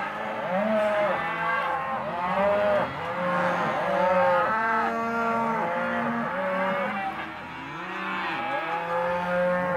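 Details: Herd of half-tooth Hereford and Careta cows in a sale lot, many animals mooing at once: overlapping drawn-out, wavering lows, some rising then falling, layered almost continuously across the whole stretch with no pauses.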